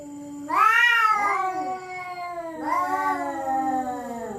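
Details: Territorial resident cats threatening each other at night: two long, harmonic, wavering yowls, the first swelling upward and then sliding down, the second starting loud and drawing out in a slow falling wail.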